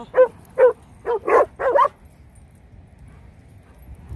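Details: Rhodesian Ridgebacks letting out five loud, clipped barks in quick succession over about two seconds, the last few running closer together, followed by quiet with faint low background noise.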